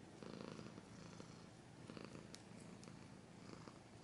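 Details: Close, continuous purring from a pet cat: a soft, evenly throbbing low rumble with a few faint scratchy clicks mixed in.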